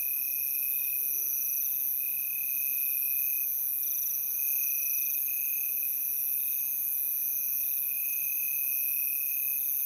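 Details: Unbroken shrill cricket chorus, several high pitches stacked and sustained with slight pulsing, the overall level steady throughout, plus a soft short low glide early on.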